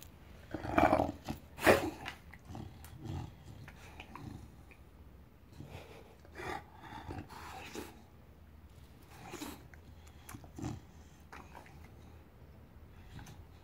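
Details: Enzo, a pet bulldog back home after a stay with his breeder, vocalizing to seek attention: two loud, rough growly bursts early on, then scattered softer grumbles and snorts at irregular intervals, with a person talking to him.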